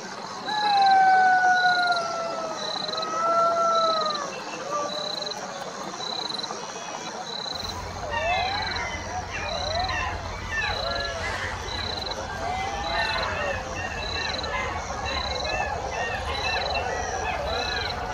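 Golden jackals give a long wavering howl, then break into a chorus of overlapping yipping wails.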